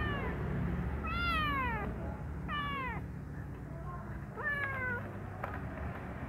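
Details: Three clear arched meows from a brown kitten doing activities in his room, the middle ones short, a final sharper cry near the end, set against constant low-pitched room hum and faint knocks.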